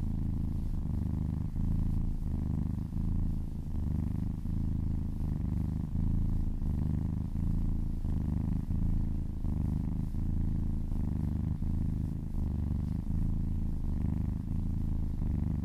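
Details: Close ASMR recording of a kitten purring happily while massaged: strong, throbbing low purr with regular breath cycles near every 0.7 seconds, unbroken for the whole stretch.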